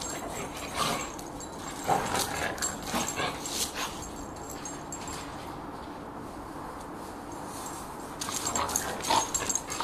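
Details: Two dogs, an Irish Terrier and a lurcher, in rough play: rapid, irregular yelping and whimpering bursts with scuffling, clustered early and again near the end, with a quieter stretch in between.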